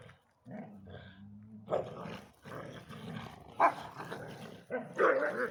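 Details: Belgian Tervuren keeping its ball from a bull terrier cross playmate; a short steady growl opens, then a run of rough growls broken by sudden loud barks and snarls toward the end.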